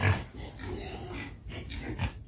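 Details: Low, rough grunts in short broken bursts from a home-raised wild boar nearly a year old, one of three kept at a house, heard demanding food.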